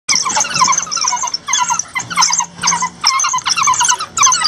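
Several African wild dogs give high, bird-like chirps, stacked into dense bursts of quick squeaky notes. The twittering chorus comes in waves about every second, with short pauses between rounds.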